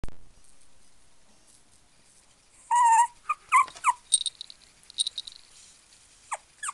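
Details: Pekingese and Poodle mix dog giving a few short, squeaky whines and yelps after a quiet stretch, then scattered light clicks and high squeaks.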